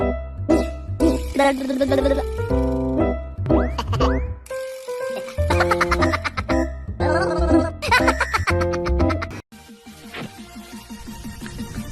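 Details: Bouncy children's music with playful boing effects and a short burst of laughter; no animal voice comes through.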